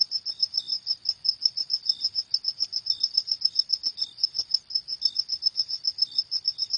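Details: Crickets calling after dark with rapid, piercing chirps at an even pace, a quieter lower-pitched chirp recurring every second or so beneath them.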